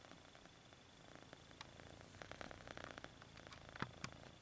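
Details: Kitten stretching its paws and purring, a low continuous rumble that grows a little louder midway, with a brief sharp click near the end.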